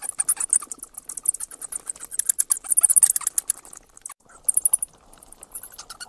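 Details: High, scratchy squeaks and rapid clicking from bats, dense chatter that breaks off briefly near the middle before resuming.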